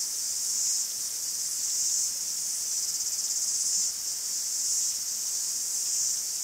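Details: Cicadas in a forest in Greece, heard as a dense, continuous high buzzing hiss that swells and fades in slow waves roughly every second or so, with a steady rasping texture and no other clear sounds.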